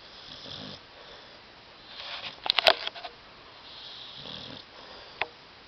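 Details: Pet dog Tyson asleep on a love seat, snoring; two soft, hissing snore bursts frame a cluster of sharp sniffs or clicks, then a single snap near the end.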